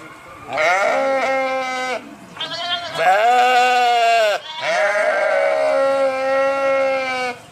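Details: Sheep bleating three times in a row, each call a long, wavering, nasal baa lasting one to one and a half seconds, with short pauses between them and no other sounds.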